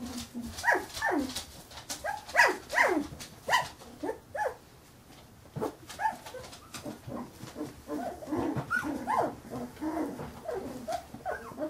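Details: A litter of 15-day-old Carolina Dog puppies calling together, with dense overlapping squeaky whimpers and short yips, a brief lull in the middle, then a steady chorus of softer whines.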